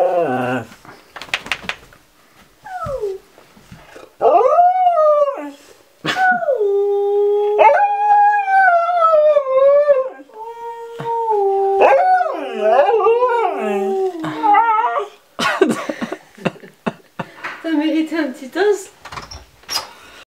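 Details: Chatty husky speaking to its owner in a small room: broken sequences of warbling, bending howls and whines, interspersed with clicks and handling noises, several calls sustained for a few seconds each.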